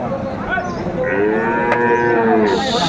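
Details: Sahiwal bull cattle at a livestock market in Cumilla, Bangladesh, February 12, 2025; a drawn-out, harmonic-rich moo held for about two seconds over a steady hum of market noise.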